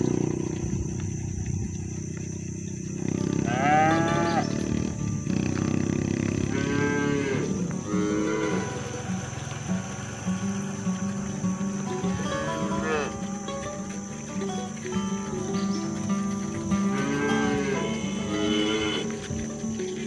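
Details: Free-roaming village cattle driven toward the barn, lowing to call herd mates home; a series of drawn-out moos rising and falling, spaced several seconds apart, with a rumbling low background and a constant high whine.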